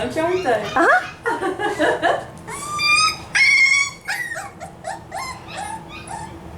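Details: Five-week-old F1b Cavapoo puppies from one litter at a licensed kennel in Carthage, Missouri: a run of high, thin whines and yips, several drawn-out tonal cries bending up and down, with people talking over the first seconds.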